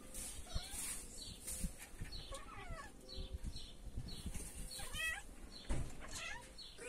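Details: Kittens at dinner time, several short high meows with harmonic stacks rising and falling, scattered through clatter and low thumps of feeding; a clear meow near five seconds.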